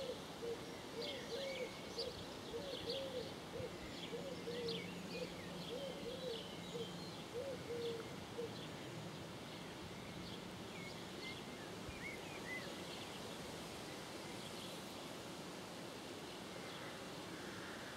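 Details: Edible frog among water lilies at Donjon de Jouy in June: a string of short pulsed croaks for about eight seconds, then quieter background. Faint bird chirps and soft rural ambience throughout.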